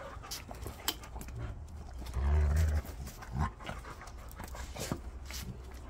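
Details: Golden Retriever, one of six living together, among them a one-year-old, playing hard; rapid rough panting with a loud low huffing burst partway through, while a person talks nearby.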